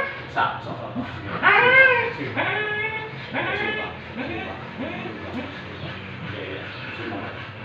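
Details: Siberian Husky at an artificial insemination (A.I., stud) session, giving a run of high, arched whining calls that rise and fall with rich harmonics, loudest in the first half, then fading into softer whimpers.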